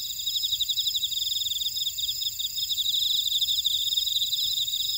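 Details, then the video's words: Grass insects in a Jeju buckwheat field, Orai-dong, South Korea, produce a shrill layered chorus: quick pulsing trills over sustained high ringing bands, unbroken throughout, the field otherwise quiet. "제주 메밀밭의 풀벌레 소리"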